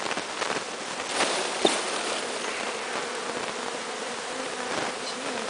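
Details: A bee swarm, captured from the top of a large tree, being walked into a new hive so the bees accept it as their own; a dense, steady buzzing hum with a few sharp taps and brief louder bursts.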